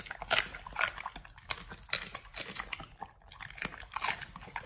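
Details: Raw-fed Pit Bulls crunching beef trimmings, quail egg and duck wing: loud bright bone-cracking bites recurring about every half second, a brief pause midway, indoors.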